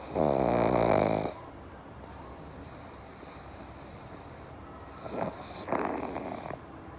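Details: Pug asleep, from a pair called Java and Morgan: one loud fluttering snore at the start, a quiet pause, then two shorter snorting breaths near the end, with a continuous high-pitched hum behind.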